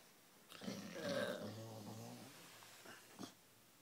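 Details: Two-year-old bulldog napping indoors after just waking, giving a rough, rumbling snore-like growl with harmonic bands that swells and fades over about two seconds, followed by a short breathy snort.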